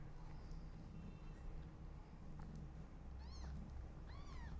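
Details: Newborn kittens calling loudly while their mother is unwell: two short, arched, harmonic mews near the end, rising then falling, over a steady low background hum.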